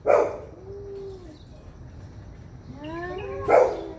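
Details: Cats in an angry fight: a sharp spit opens, then a thin, wavering yowl. A rising, sliding moan builds into another explosive spit at the end.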